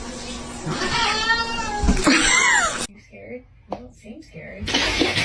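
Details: A cat gives a long, drawn-out meow that bends downward in pitch over about two seconds, with people talking over it, then quieter speech and background noise.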